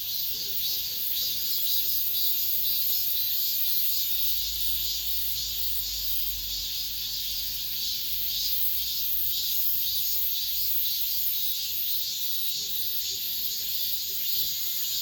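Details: Cicadas singing in an apartment complex at the end of summer, the last of the season: a dense, continuous high-pitched shrill buzz with a steady throbbing pulse, about two beats per second, over faint low background rumble.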